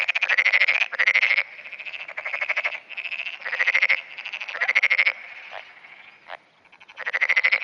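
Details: Black-spotted pond frog in continuous dawn calling on 10 June 2009, responding to nearby frogs. Loud pulsed, ratchet-like croak bursts repeat several times a second in a chorus, with quieter overlapping calls and two brief clicks near the end.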